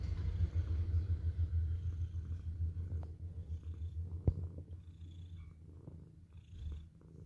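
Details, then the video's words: Domestic cat purring in a steady, low, rapid rumble that fades toward the end, with a few faint clicks and a soft background hum. "KUCING KALIAN MENDENGKUR ?"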